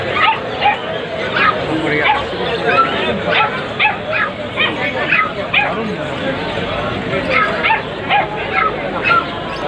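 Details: Punch-faced Labrador Retriever puppies offered for sale at the Galiff Street pet market: short high yips and whimpers repeated every second or so, under steady close Bengali speech and market chatter.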